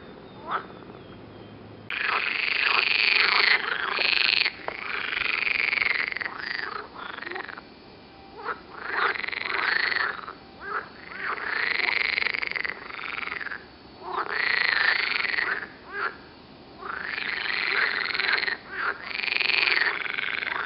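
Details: Several green frogs near Turku, Finland give a loud, rasping croaking chorus, long churring bouts of about one to two seconds each, repeated almost without pause and broken by a few short gaps.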